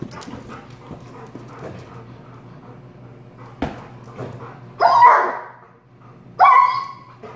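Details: Prada, a friendly, chubby two-year-old female black Labrador Retriever, excited while playing with and popping balloons; two short, loud barks near five and six and a half seconds over quiet room hum.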